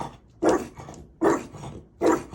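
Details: Indoors, Maui the French Bulldog barks at an imagined ghost with nobody present: three loud, rough barks at roughly even intervals of about three-quarters of a second, against a quiet room.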